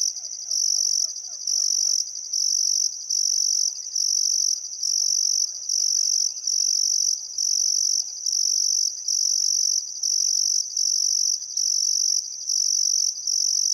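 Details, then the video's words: Crickets chirping on a still summer afternoon at sunset beside the Barcoo River, Welford National Park, Outback Queensland, Australia: a high, pulsing trill in long bursts with short gaps, joined by faint birdcalls in the background. "Australian Sunset Chirping Crickets"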